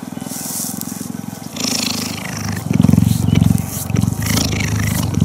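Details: A female cheetah purrs while being touched and cuddled, her neck vibrating like a motor; the purr is a deep, steady rumble that pulses rapidly and swells and fades in loudness.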